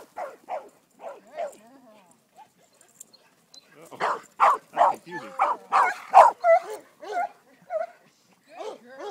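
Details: Sadie, a female Greater Swiss Mountain Dog aged ten and a half, tries herding for the first time, giving a burst of rapid, strong barks in the second half after softer scattered yips, with a voice in the background.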